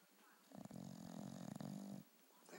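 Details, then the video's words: Sleeping bulldog on a couch giving one long, low, rattling snore of about a second and a half, with a quieter breath afterward. "Snoring Bulldog"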